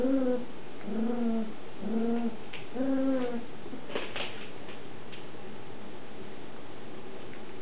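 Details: Shetland Sheepdog puppies, six weeks old, in a big agility playpen; four short, even, moaning whines about a second apart, followed by light knocks and rustling.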